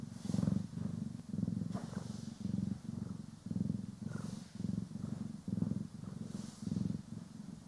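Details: A steady low purr from pet cats Poki and Kiwi as they are groomed and brushed, stereo-recorded; the rumble pulses in even breath cycles about every three-quarters of a second, with occasional light brushing swishes.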